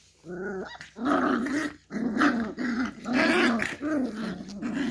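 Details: Beagle puppy growling while playing with a hand: four or five sustained, throaty growls, each about a second long, separated by short breaks, loud and close, indoors.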